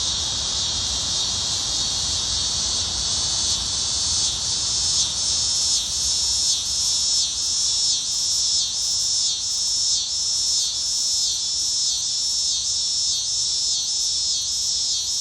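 A cicada gives a loud, continuous high-pitched buzz with a faint rhythmic pulsing throughout.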